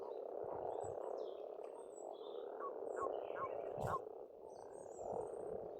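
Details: Pond frogs in spring on a farmstead in Estonia keep up a continuous low croaking chorus, with a few faint bird chirps and occasional soft low thumps.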